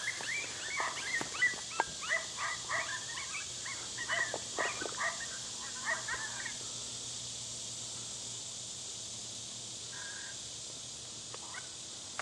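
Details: Dog outdoors during coyote hunting, giving a rapid burst of high, sharp yips and barks, several per second, for about seven seconds, then falling quiet with only a steady high hiss and a few faint calls afterward.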